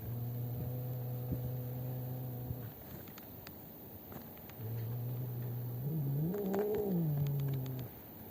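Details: Black-and-white cat squaring off against a cat named Maron near a house, 12 December 2025: long, low, droning yowls with rich harmonics, held steady, then broken by a wavering, rising-and-falling howl before settling again.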